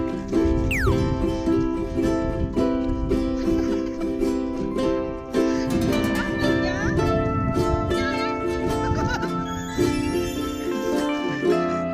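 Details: Bright plucked ukulele-style music with a person talking over it, and no animal voice.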